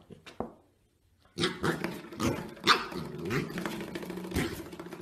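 A corgi vocalizes in a run of groaning, whiny, talk-like sounds mixed with short barky yelps.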